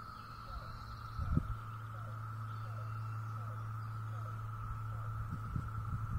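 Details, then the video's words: 17-year periodical cicadas in North Carolina, recorded on 22 May (apparently 2021), fill the air with a steady, unbroken mid-pitched drone. "Sounds of the 17 year Periodical Cicada"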